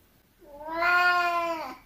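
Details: Oriental cat unhappy at being refused the balcony on a near-freezing day, voicing one sustained, steady, clearly harmonic meow lasting over a second, rising slightly at the start and falling at the close.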